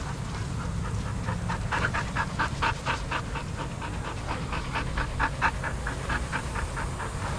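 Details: Adoptable shelter dogs playing and running together at a daycare; a rapid string of short, sharp barks or pants, about two per second, over a steady low rumble of background noise.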